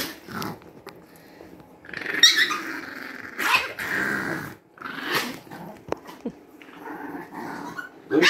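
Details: Chihuahua growling while someone tries to pet it in a small room: rough, raspy snarls in uneven bursts, loudest near two and three and a half seconds, with softer rumbling growls between and faint handling noises.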